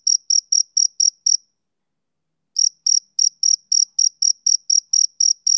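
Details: Male cricket chirping on a summer evening: six sharp, high pulses in quick succession, a gap of about a second, then a steady run of about a dozen more clicky chirps, with no other sounds.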